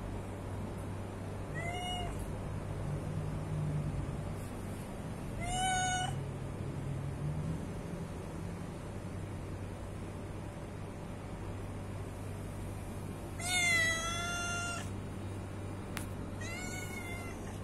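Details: Hungry domestic cat meowing repeatedly, four or five drawn-out harmonic cries at irregular gaps, one longer and wavering, with a steady low hum and faint rumbling underneath.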